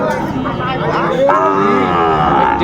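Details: Sahiwal bull calf at a busy livestock market in Manikganj, Bangladesh, on 30 December: after a second of crowd murmur, a rising, harmonic-rich bawl starts and holds steady to the end, with chatter underneath.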